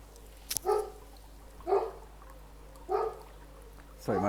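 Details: Female pet dog barking in the background near a koi pond, starting whenever filming begins; three spaced single barks about a second apart, with a sharp click and a man's voice starting at the end.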